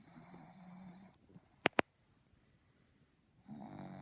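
A Boston Terrier snores with raspy, breathy rattles, broken by a quiet pause and two sharp clicks.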